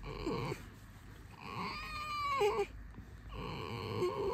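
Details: Alisa, a sleepy pet red fox being petted and having her ears scratched before a walk, gives a squeaky, wavering whine in the middle, sliding slightly downward, with quiet indoor murmurs before and after.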